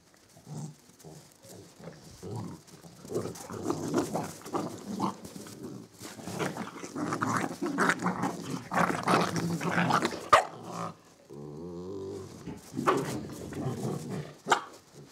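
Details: Samoyed mother with her puppies at the White Wolf kennel, one pup even lunging at its mother: a busy tangle of puppy growls, yips and snuffles, then a steady harmonic whine, with a woman talking to the dogs.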